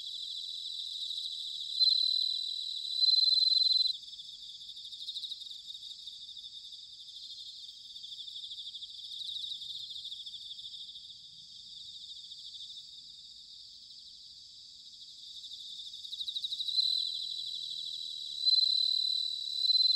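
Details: Bell crickets singing on an autumn night in Sanuki, Chiba, Japan, captured with a ZOOM H6 or TASCAM DR-05X: a constant high chorus of trills, punctuated by loud clear ringing bursts from a close insect early and late.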